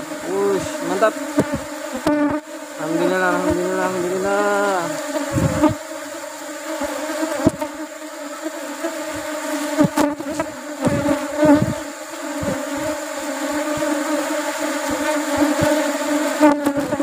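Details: Honey bee colony buzzing during a honey harvest in the rubber-tree flowering season. Wavering, pitch-sliding buzzes of bees flying near come early. They then settle into a continuous low hum, broken by a few sharp knocks.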